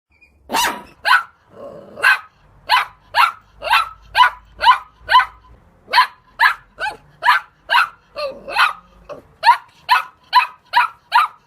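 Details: Dog barking in a rapid series of sharp, bright barks, about two per second, with a brief lower growly sound near the start and another low rumble around eight seconds; no other sounds stand out.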